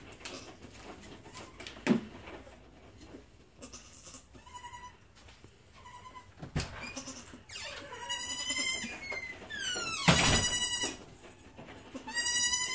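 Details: Newborn Nigerian Dwarf goat triplet kids, two does and a buck, born before dawn on 10 March 2018; high, wavering bleats, short cries near five seconds, then longer drawn-out quavering calls toward the end, with rustling and knocks.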